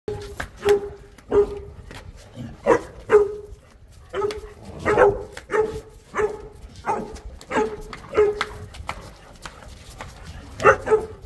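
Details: Boerboel, or South African Mastiff, from a male-and-female pair living in Egypt, giving deep, loud barks about fourteen times, spaced roughly every half to one second, with short quiet gaps between.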